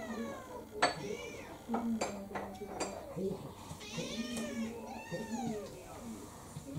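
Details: Kurumi, a roughly four-year-old orange tabby mixed-breed house cat, pesters for her dinner with several rising-and-falling meows, alongside the clink of dishes and cutlery and a person talking nearby.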